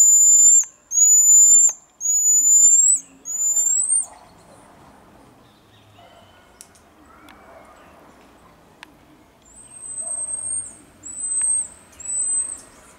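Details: Marmosets in Juiz de Fora, Minas Gerais, Brazil, give long, thin, very high whistles, each nearly a second, in quick series.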